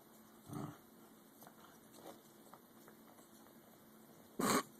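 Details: American Eskimo Dogs squabbling over a bone as a 5-month-old puppy tries to take an adult's bone and snaps: a short, low growling grumble, faint murmurs, then after a pause a loud, sharp, broadband snapping outburst.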